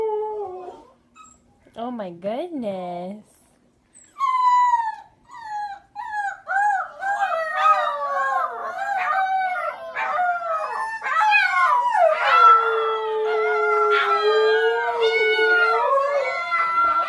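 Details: Siberian Husky puppies learning to howl give wavering, yodelling howls that rise and fall, with several young voices overlapping.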